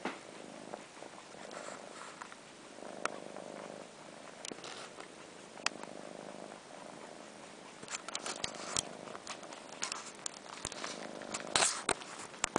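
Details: Purring from four-month-old kittens Sheba and his sister Carla, who suck on Sheba's long fur as if nursing while missing their mother; soft purr in intermittent stretches, broken by frequent sharp slurps and smacking clicks, busier toward the end.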